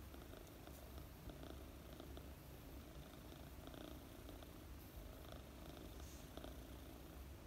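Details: Mooni, a four-month-old female British Longhair kitten, purring while being petted and sleeping; a soft, steady, low rumble runs without a break, with faint rustling strokes of a hand through her fluffy fur.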